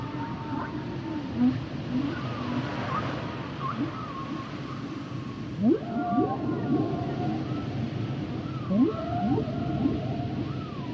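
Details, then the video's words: Humpback whale song with higher wavering whistles and mewing tones early on, then clusters of swift rising upsweeps in groups of three, each followed by a level tonal note, amid steady sea hiss. "Sounds and Songs Of The Humpback Whales"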